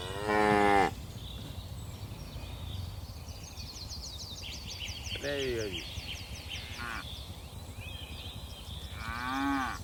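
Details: A herd of dozens of tame cattle hops down a mountain hillside. Several moos come scattered across the clip, the first loud and full, the later ones shorter and fainter. Birds keep up busy chirping in the background.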